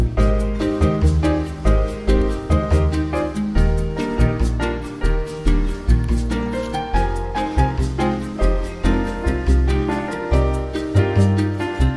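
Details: Upbeat jazzy music with punchy rhythmic bass and percussion is heard throughout, with no animal sounds.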